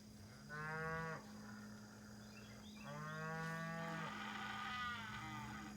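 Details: Cows at a ranch in the morning: two long, deep moos with rich stacked harmonics, the first about a second long, the second longer and louder, over a steady low hum.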